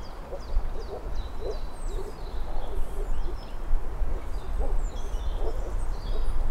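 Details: Moor frogs calling: short, low, hollow bubbling notes repeated irregularly several times a second against a heavy low rumble, with high chirping birds in the background.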